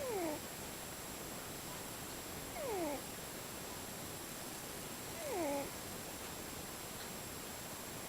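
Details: Sleeping cat snoring in different tones; three whistled, downward-gliding nasal notes, each split into two parallel strands, arrive about every two and a half seconds above an even hiss.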